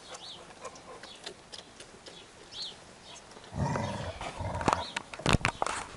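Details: Labrador Retriever puppies react after smelling milk: thin, high, arched squeaky whines come in short separate bursts, then turn to louder, denser whimpering mixed with sharp clicks and knocks.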